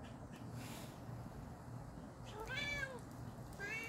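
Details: Cat JJ calling another cat: after a stretch of low background hum, one clear arching meow near the end, followed by the start of a second, fainter meow.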